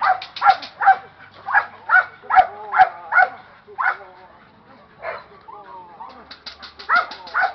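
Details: Barking from a young Presa Canario agitated in training: a fast run of loud, clipped barks, a brief lull with a human voice, then renewed barking.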